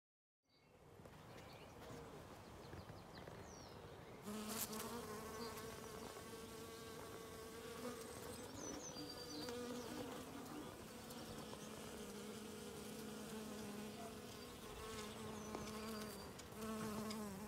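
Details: Western honey bees (Apis mellifera) collect pollen and nectar in a yard on the first warm spring day, above 12 °C. Their wings buzz in a steady, low droning hum that rises and falls as they fly close.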